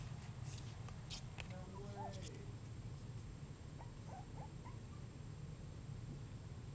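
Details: Basenji puppies three and a half weeks old. A short whining squeal with stacked harmonics comes near the two-second mark, then a few faint, thin squeaks, all over a steady low hum.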